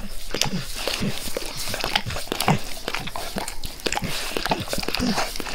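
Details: Max the dog eagerly licking his owner's face, close up with no talking: a dense run of wet, smacking clicks and slurps, several per second, with soft low tongue thumps underneath.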